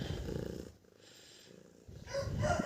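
A domestic cat purrs in a low, steady, rumbling vibration, a sign of feeling comfortable.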